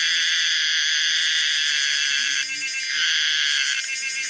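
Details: Steady piercing drone from the common cicada Pomponia linearis, a dense metallic buzz with a brief change in tone near the end of the phrase.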